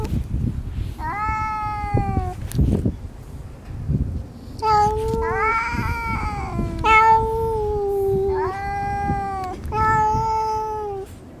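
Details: Female white-and-tabby cat (shiro-saba) growling and yowling in threat at a rival orange tabby tomcat while sitting on a lap being petted; long drawn-out moaning howls, several in a row, with faint handling noise.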